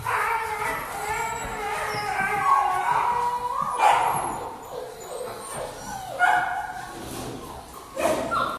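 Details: Newfoundland dog giving repeated yipping barks and whimpering whines, irregular and overlapping, with some faint speech in the background.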